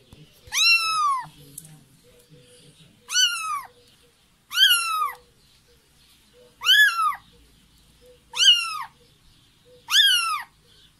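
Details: Tiny kitten calling for its mother with six high, arched meows, each rising then falling, spaced about every two seconds, with a quiet room behind.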